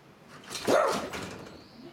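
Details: A miniature dachshund gives a single sharp, mid-pitched bark that rises quickly and then fades, at a Yorkshire Terrier it does not get along with; the Yorkie steps back, frightened.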